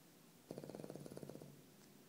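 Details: Nico, a dog, snoring; a one-second burst of rapid, rattling pulses, about a dozen quick fluttering beats in a quiet room.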